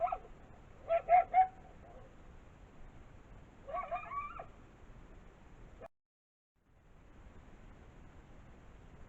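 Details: Several coyotes uphill from a house at night give short, yipping howls with wavering, rising notes. The recordist believes they were caught between the house and a mountain lion.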